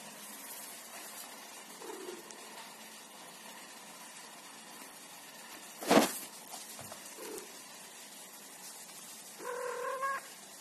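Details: Pet cat protecting her ball gives brief low murmuring calls, then a short harmonic meow near the end. A sharp knock sounds in the middle over quiet room noise.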